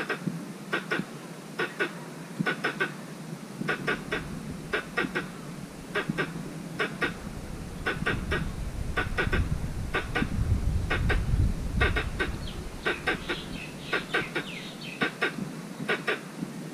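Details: Mate-seeking squirrel in a mango orchard repeats dry doubled and tripled clicking chucks about once a second over a long stretch, with rumbling low noise swelling midway and a faint high bird note near the end.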